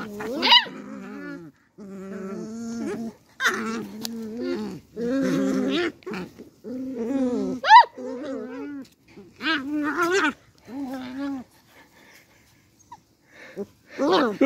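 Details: Fighting Beagle puppies trade short growling bursts, snarls and a few sharp yaps, separated by brief pauses, in a quiet room.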